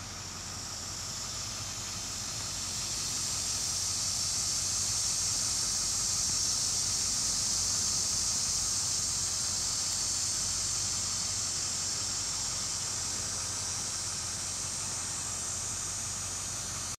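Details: Male plains dog-day cicada (Neotibicen auriferus) calling from a tree near Beaumont, Kansas, 6 September 2011 around 12:40 p.m., giving a steady, high-pitched buzzing calling song that swells and holds; a female is nearby.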